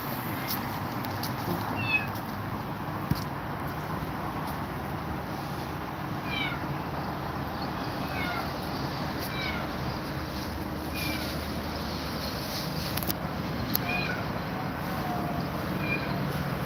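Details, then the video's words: A grumpy cat said to be scared of two mother cats gives faint, high arched meows repeated every second or two over a steady hiss and low rumbling background. "Grumpy Cat Is Scared Of 2 Mother Cats"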